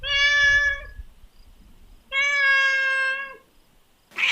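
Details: Two long, flat, sustained meows from a little kitten, each about a second or more, clean and tonal with strong overtones, separated by a quiet pause with faint low noise.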